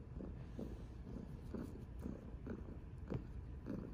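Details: A chubby orange tabby named Mya purrs during cuddles, a low throaty rumble swelling and fading about twice per second, with light rubbing and handling sounds close to the microphone.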